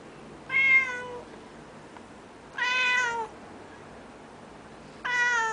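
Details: Three insistent meows from a Japanese cat called the noisiest cat ever, each a bright, slightly descending nasal cry lasting under a second, separated by short quiet gaps indoors.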